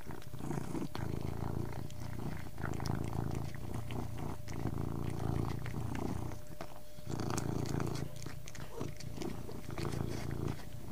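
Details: Close, continuous low purring from a domestic cat, steady rumbling pulses with brief pauses for breath, over a faint constant electrical hum.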